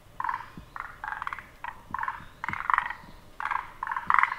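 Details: Forest green tree frog calling, its throat sounding three times: short rattling, chuckling bursts in a mid pitch, irregularly spaced about every half second in small clusters, over a quiet, still background.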